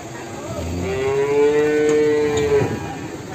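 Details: Morning at a livestock market in Ambarketawang, Sleman, where a Limousin calf gives a single steady, moderately quiet moo of nearly two seconds over a noisy background.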